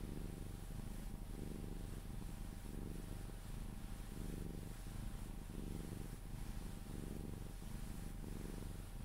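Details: Sphynx cat purring contentedly while cuddled, drifting off to sleep; rhythmic deep purr with clear inhale and exhale phases repeating roughly every second, faint touches and rustles.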